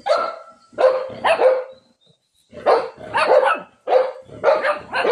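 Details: Shih Tzu barking while fighting with a cat: two bursts of rapid, sharp, mid-pitched barks, three or four per burst, separated by a brief pause.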